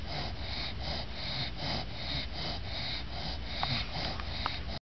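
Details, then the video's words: A female English bulldog, exhausted after her bath, snores in quick, raspy, rhythmic snorts, several to each second, and keeps snoring even with her eyes open. "Lucy english bulldog snoring with eyes open"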